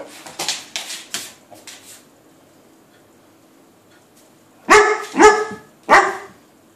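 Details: A Weimaraner gives three loud, ringing barks in quick succession, trying to play with a cat sitting on the other side of a door.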